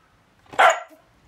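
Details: One abrupt bark from a Siberian Husky indoors, angrily answering its owner who is scolding it for eating a shrimp cutlet.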